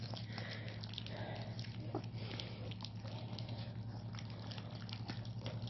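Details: Tosa Inu puppies eating indoors: a dense run of wet smacking, chewing and lapping clicks, irregular but nearly continuous, over a steady low hum.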